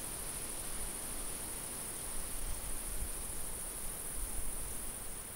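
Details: Summer field cricket giving a continuous, thin high shrill that holds level, slightly softer than the low, rough wind noise beneath it.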